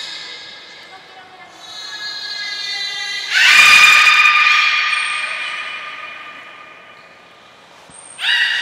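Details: Training of belugas Gray and Mirai, Port of Nagoya Public Aquarium, 15 June 2022: soft harmonic tones, then a loud squealing cry with a thump, a brief high whistle, and a final sharp squeal.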